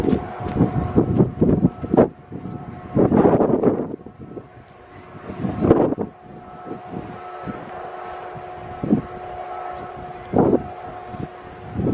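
Gusts of wind buffet the microphone over a steady engine hum, with no animal calls heard.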